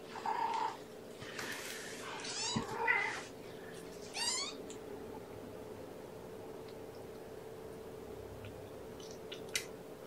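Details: Kittens of the mother cat Gamora, born April 14th, at breakfast feeding indoors: a run of rising, wavering meows in the first few seconds, then quiet with a low steady hum.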